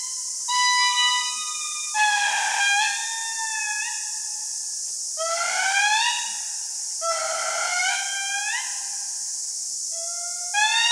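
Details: Indri lemurs sing in Andasibe Forest, Madagascar: loud, eerie wailing notes swoop up and slide down over a steady high forest hiss. The song carries 2 km, warns other groups from their territory and attracts mates.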